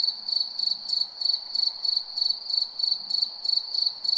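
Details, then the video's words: Cricket at night giving rapid, high metallic chirps, around eleven in four seconds, evenly paced; little else audible. "Night Cricket Sound Effect"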